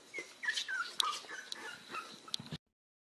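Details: Pembroke Welsh Corgi whimpering in a run of thin, high, whistled whines that waver and slide, broken by a few short sharp yips, then cutting off abruptly into silence.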